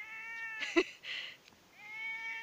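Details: Pet cat calling while looking for its owner in a garden; a long steady meow with rich harmonics, a short clattering noise in the middle, then a second sustained meow rising in at the end.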